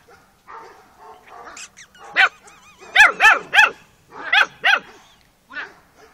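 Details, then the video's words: Carpathian Romanian Shepherd Dog puppies yelping and whining: high, wavering cries with arched pitch, several in quick bursts around the middle, softer whimpers before and after, a faint steady tone in the background. "Carpathian Romanian Sheperd Dog - Puppies"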